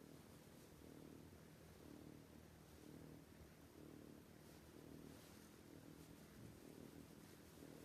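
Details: Loud snoring from a sleeping cat: low rumbling breaths swell and fade in a slow rhythm, roughly one each second, over a soft constant hiss.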